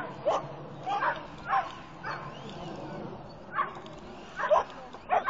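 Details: Irish Wolfhound at lure coursing, giving short excited barks and yips about once a second, mixed with human speech and outdoor background noise.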